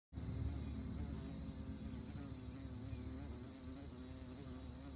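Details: Honey bees on orchid flowers, a steady low droning buzz with stacked harmonic overtones, held throughout, under a constant thin high-pitched whine.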